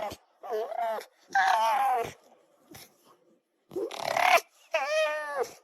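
An Arctic fox gives a series of harsh, yelping barks with whining, wavering tones.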